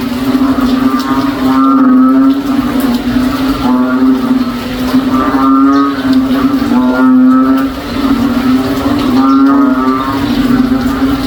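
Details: Cow-like frog chorus from a backyard during rain: unbroken deep hum with repeated mooing calls full of overtones, roughly every one and a half to two seconds, over eleven seconds.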